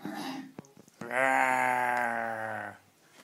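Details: Pet Miniature Dachshund, one of two named Blenheim and Jetson, indoors, gives a long sustained whining moan of about 1.7 seconds, steady then slightly falling, preceded by a short vocal sound and soft clicks.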